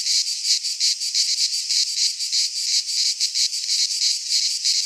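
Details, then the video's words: Greek cicadas in pine woodland at midsummer: high, grating, continuous buzz, beating in fast even pulses near three per second, clean background. "Cicadas singing in midsummer - Nature sounds from the Greek fauna - Sounds of cicadas"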